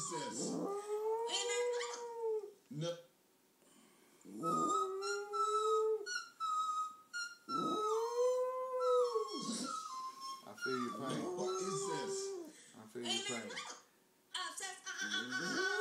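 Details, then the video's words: Emmett, a pet dog, howls indoors at a televised American Idol audition singer from the 2011 Nashville auditions; several long arching howls rising and falling, mixed with the woman's singing voice and people talking in the room. "Dog howling at a horrible American Idol singer"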